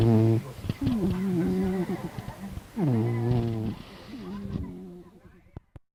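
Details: Domestic cat snoring in its sleep, three low, throaty, buzzing breaths with a slight pitch dip at each start, the last one fading away into quiet.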